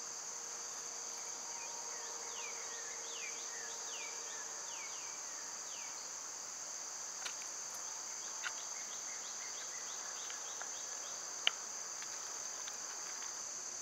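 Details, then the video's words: Unbroken high buzzing of summer cicadas, loud at this season, underlies a run of downslurred bird calls, a low steady tone early on, and a few sharp clicks later. "Birds & Squirrels w/ Cicada sounds"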